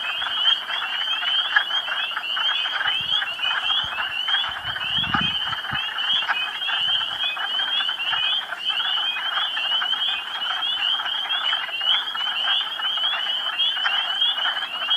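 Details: Hundreds of frogs waking from hibernation in a partially thawed spring pool in the woods of the Quabbin Reservoir nature preserve, Western Massachusetts. A loud, dense, unbroken chorus of overlapping trilled calls throbs steadily throughout, with a brief low thump midway.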